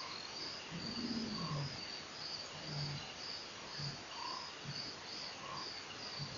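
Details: Lion roaring at Nkorho at 4:03 am on 04/10/08, following strange sounds; faint, deep low grunts repeat about once a second beneath a steady wash of high-pitched cricket chirping.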